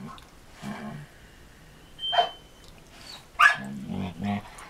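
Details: Two dogs, a 6-year-old Samoyed recovering from back surgery and a rescued Border Collie, playing together in 2014; short sharp barks at about two and three and a half seconds between low growly grumbles, with faint background noise.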